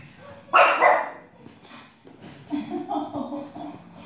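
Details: Pet dog Grimley, indoors while Coco watches television, gives one loud, sharp bark followed by a person talking in questioning tones.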